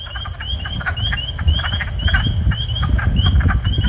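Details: Spring peepers call in chorus at a vernal pool in late March, short, high, rising peeps repeated rapidly over a low rumble of wood frogs, with birds in the background.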